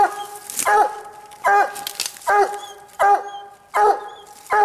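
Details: Walker coonhound on a raccoon hunt, baying up a tree after treeing the coon; drawn-out ringing barks with bending tails, about one every 0.8 seconds, with brief human voices between.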